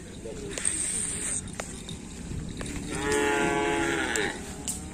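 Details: Cattle training for a kerapan sapi bull race at Asemanis, 6 November 2022; one long, loud moo rising then falling in the second half, after sharp clicks and knocks, with crowd noise and music behind.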